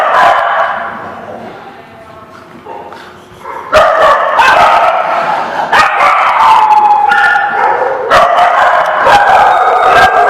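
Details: A crowd of dogs recorded 12/09/16 barks almost without pause. The yapping builds from a softer, whining stretch into loud, overlapping barks several per second, with one longer drawn-out whine partway through.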